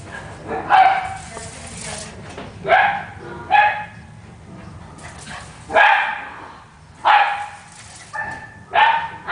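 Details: Italian Greyhound and Miniature Pinscher racing around during play; six sharp, harsh barks spaced unevenly over about nine seconds, each a short noisy burst with a quieter tail, faint background murmur between.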